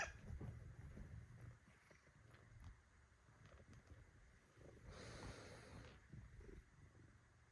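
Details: Purring from Shintaro, a pet Bengal cat kneading, a steady low pulsing rumble running throughout with a faint soft rustle midway.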